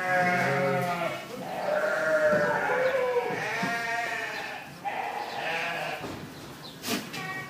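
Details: Goats bleating during feeding time at Zaahi Goat Farm, Virar, Mumbai, where goats are boarded: a continuous chorus of quavering, nasal bleats overlapping one another, ending with a sharp click or knock.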